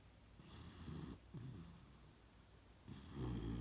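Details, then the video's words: Sleeping in its regular spot, the Beagle Shiloh gives low, throaty snores with a faint wheezy edge, two rumbling breaths in a few seconds. "ビーグル犬シャイロ 今日も定位置でいびき"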